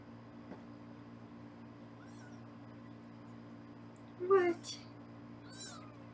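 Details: Foster kittens in a Los Angeles kitten room, filmed on a live kitten cam during weighing, give a few brief high mews around the fourth second over a steady low indoor hum.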